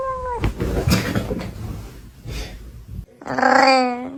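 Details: Pet cat meowing near the end after rustling, thumps and a brief human voice: one loud, clear, slightly falling meow lasting about a second.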